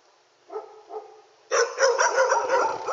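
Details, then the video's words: Dog barking at night: two softer yips near the start, then a burst of loud, rapid, rough barks repeated about three times a second. "dog barking night"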